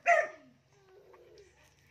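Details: A single short sharp dog bark, one of several dogs named as a Belgian Malinois, a fox terrier and a black Maltese, on an outdoor bathing day; the bark rises bright and harmonic, then fades into quiet background murmur.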